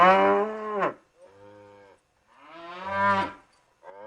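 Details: Cattle mooing in two long, deep calls that sway upward and fall off, with a quieter lowing murmur between them and a short start of another call at the end.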